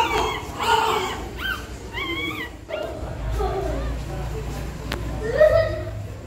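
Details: Labouring pregnant dog scratching her nest before whelping; short rising and falling whimpers cluster in the first three seconds, softer whines follow, then a final squeaky whine over a low hum.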